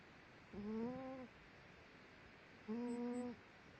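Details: A female dog dozing in her sleep gives two short whistling, whiny snore notes, each lasting under a second and rising slightly, about two seconds apart, in an otherwise quiet room.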